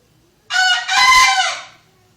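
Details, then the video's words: A single close, loud crow from a captive-kept bekisar rooster: a short harsh opening note followed by a longer, rasping, slightly falling second note. "Ayam Bekisar Gacor Suara Nyaring"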